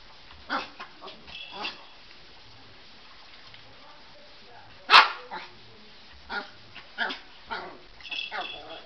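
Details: Colbie, a pet Chihuahua, playing with a ball: short, sharp yappy barks in scattered bursts, with one loud knock near the middle and people talking quietly in the background.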